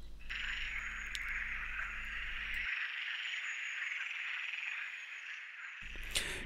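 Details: Frog chorus at a viewpoint on Lac de Madine, a reservoir lake in France; a dense, steady, buzzing wall of calls, continuous throughout, with a low engine-like hum underneath at the start and end.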